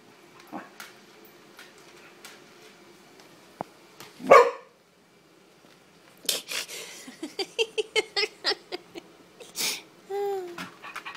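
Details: Corgi indoors reacting to a wind-up toy horse set on the floor: a single sharp bark, a pause, then a rapid run of short yipping barks ending in a drawn-out whine.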